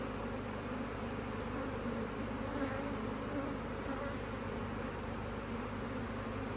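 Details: Busy honey bees at an opened HiveIQ beehive in Australia during stunning autumn weather in 2023, a new box being put on; a constant layered buzz with slight swells as individual bees pass.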